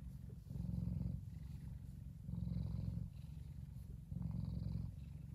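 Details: A relaxed F2 Savannah cat named Kumba purrs as he enjoys the sun. The purr is a deep, even rumble that rises for roughly a second, then eases, in three clear cycles.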